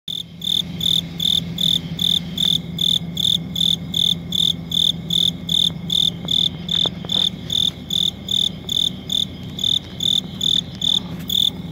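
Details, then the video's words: Cricket chirping steadily: short, shrill, high-pitched pulsed chirps repeated about two to three times per second in an even rhythm, with a faint low hum underneath and a few soft clicks. "Cricket Chirping"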